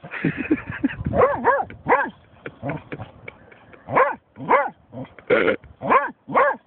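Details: German Shorthaired Pointer Snoop confronting a found dead seagull, a burst of rapid overlapping barks, then a pause, then evenly spaced loud barks about every half second.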